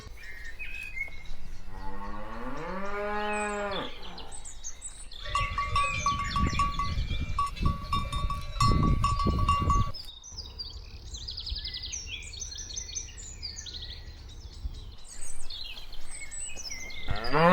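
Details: Cows walking: one rising, harmonic moo in the opening seconds, then heavy low thumping and rustling of movement with a faint tonal ringing, and scattered higher squeaky sounds near the end.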